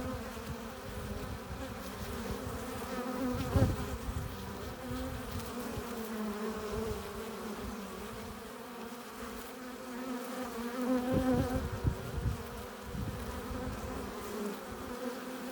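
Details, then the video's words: A crowd of honey bees humming at the hive entrance as they return with nectar and pollen; a steady swarming drone swelling in places where individual bees pass close, rising toward the later part. "15 minutes of bee hive entrance! Relaxing sounds! Buzzing sound efects"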